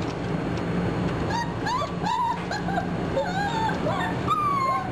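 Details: German Shorthaired Pointer puppies, 4.5 weeks old, whimpering: several thin, high whines overlap, sliding up and down and sometimes arching, over a steady low hum.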